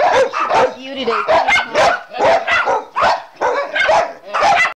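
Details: A loud group of dogs, Jeb drying off alongside Oliver, Scotty, Elvis, Chase, Gypsy and Brittany, barking in quick bursts roughly twice a second, high yipping notes mixed with deeper barks and a voice underneath.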